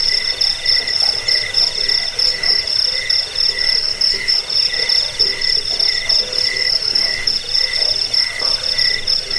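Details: Cricket chirps for chasing away rats, sleep and songbird training; high, shrill pulsed trill rising and falling in bursts about every second, with a fainter lower tone running underneath without pause.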